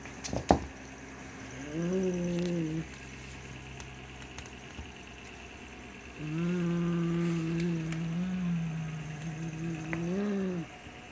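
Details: White Siamese cat guarding a black toy rat it treats as prey, refusing to share: low, rumbling growls with a steady tone, in three bouts of about one to three seconds each, separated by quiet pauses in a small indoor space.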